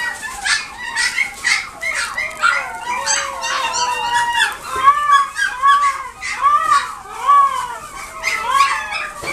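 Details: Maltese x Dachshund cross (Maldachs) at a pet shop in Nagoya, giving a steady run of high, arched whines and short yips, several a second, some overlapping, rising and falling in pitch with brief gaps between bursts.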